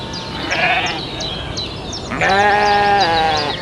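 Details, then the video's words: Farm sheep: a faint, short bleat early on, then a loud, strongly harmonic, quavering bleat held for over a second, with steady high chirping, like small birds, in the background. "SHEEP SOUNDS"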